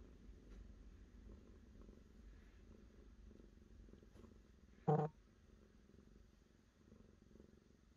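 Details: Cat purring, a low steady rumble pulsing in even breaths, broken near the middle by one sharp loud click.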